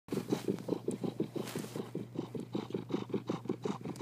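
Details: A content cat named Marley purring steadily, a rhythmic low pulsing rasp at roughly three pulses per second with a constant low hum beneath, unbroken throughout.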